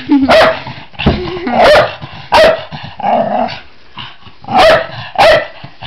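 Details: Male Jack Russell Terrier cross indoors while humping his owner's leg: short sharp barks mixed with low rumbling growls and whines, about six outbursts over several seconds, loud and close.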